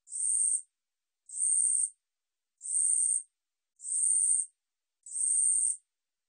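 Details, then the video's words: Katydid 우리여치 singing, 2020 National Institute of Biological Resources material: five regular high-pitched rasping pulses, each about 0.6 seconds, repeated roughly every 1.3 seconds with nothing else audible. "우리여치, 여러번 듣기, 곤충소리"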